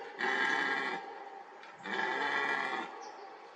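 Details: A fourteen-point red deer stag in a young oak wood gives two deep, harsh roars, each about a second long, during the rut.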